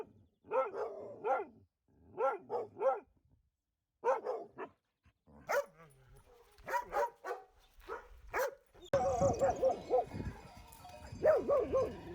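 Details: Dog producing little strings of barks, a territorial warning telling an oncoming thing to go away while alerting the family to possible danger, as at a knock on the door; quick clusters of two to four sharp barks, with background noise in the last seconds.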